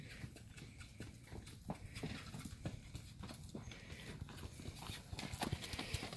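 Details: Millie, a sturdy six-year-old sorrel American Quarter Horse mare kept for pleasure and trail riding, sounds out steady clip-clop hoof strikes, roughly two per second, against a hissy outdoor background.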